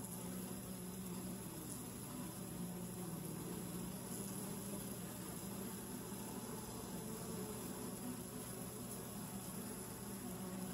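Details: Close-up at the entrance tube of a honey bee hive: continuous low buzzing drone from many bees, even in loudness, with a soft hiss behind and a faint voice-like murmur.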